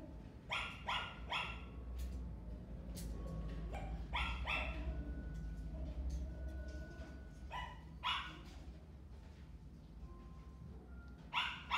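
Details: Black male Toy Poodle, born 2018, at a pet shop, giving repeated sharp high barks in irregular bursts of two or three over a steady low background hum, with brief faint tones between bursts.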